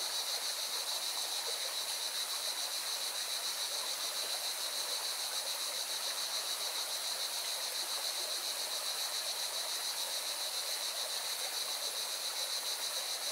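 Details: Singing cicadas keep up a steady, high, hissing buzz over the rushing roar of a mountain river in Valencia, Spain.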